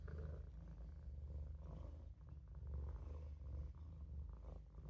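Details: A Maine Coon kitten named Olof purrs continuously during a nap in the sink, a dense, deep rumble held almost without a break, dipping once briefly midway.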